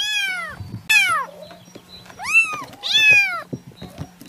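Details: Kitten meowing: four high, arching meows, each rising then falling, spaced roughly a second apart, over a steady low hum and some soft handling noises.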